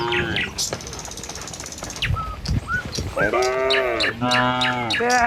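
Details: A village herd of tame cows heading down a road to the pen in the morning. Two long, low, slightly wavering moos sound close together near the end, over brief bird tweets and a soft outdoor background.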